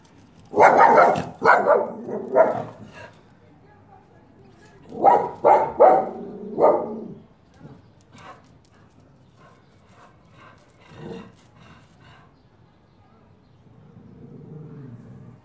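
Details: Female Norwegian Buhund in Pakistan, 2018, barking in two rapid bursts of about four sharp, ringing barks each, near the start and again mid-way, followed by quieter stretches with faint scattered sounds.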